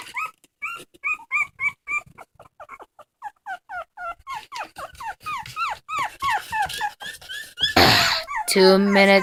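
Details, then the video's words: Crying dog giving a long series of short, bending whimpers that come faster and more uneven as they go, then a burst of rough noise and a different drawn-out sound close the sequence. "Funny dogs crying"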